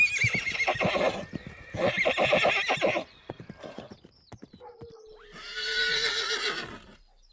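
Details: A herd of horses galloping: repeated loud, bright, tremulous whinnies, two back to back and a third after a pause, over steady clip-clop of hooves and scattered knocks.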